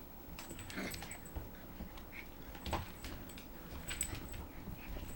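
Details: Four-week-old Bouvier des Flandres puppy, the orange one from a B litter, at play indoors in a kitchen; a few short, soft whimpers and high yips rise briefly among clicking, tapping and knocking play noises.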